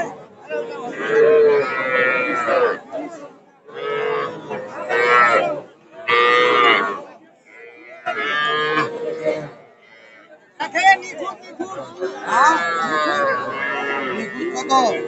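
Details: At a Narail cattle market on 18 May 2024, where small bulls and heifer calves, including Sahiwal calves, are bought, several long bellowing moos of about two seconds each come in separate bursts over a murmuring crowd and shouted prices.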